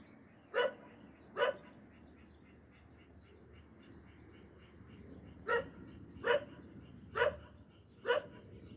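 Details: A dog barking in alarm while on guard: six sharp, loud barks, two close together near the start and four more spaced about a second apart after a pause, over a steady low background hum.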